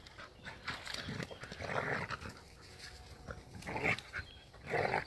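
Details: Heideterrier father and daughter, Willy II and Wilma von der Lönsmeute, at play outside the hunting season: bursts of low, rasping growls and huffing breaths come in short rough spells, with a sharper yelp-like squeak near the end.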